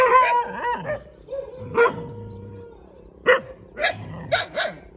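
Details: Little puppy giving scattered high yips, separated by long thin whining tones and pauses, with the barks growing sharper toward the end.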